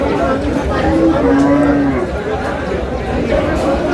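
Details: Thin, bony cows at Aftabganj cattle market in Dinajpur on 9 August 2026. A drawn-out low moo swells in the middle, with other cattle lowing faintly behind a steady murmur of haggling voices.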